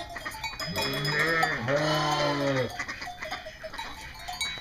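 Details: A single long, deep, wavering bleat from an East Friesian dairy sheep on a North Carolina breeding farm, lasting about a second, then quieter farm sounds under continuous background music.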